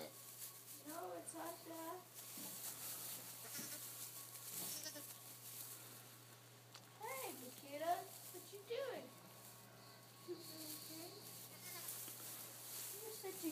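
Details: Cheviot sheep lambs bleating: wavering, harmonic-rich bleats come in clusters near the start, again around seven to nine seconds, and toward the end, over a steady low electrical hum and faint room noise.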